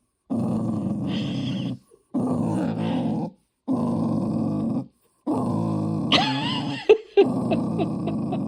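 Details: A Tibetan Terrier, asked by its owner whether it wants to play, makes strange, long, rumbling growl-groans in repeated bursts, ending with a higher whine.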